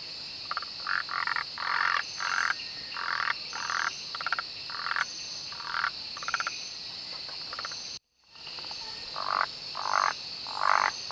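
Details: Malabar gliding frogs (Rhacophorus malabaricus) in the Western Ghats during the monsoon, 2017: bursts of rapid, pulsed croaking notes in irregular clusters, several in quick succession, over a steady high insect drone, with one brief dropout near the end.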